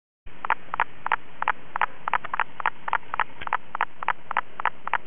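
A common spadefoot gives a steady series of short, knocking clucks, about three each second.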